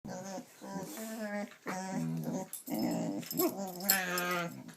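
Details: Gidget, a pet dog indoors in a small room, makes silly drawn-out vocal sounds: a run of moaning, whining tones in short bursts, some rising and falling, with a grumbling growl-like edge and brief gaps between.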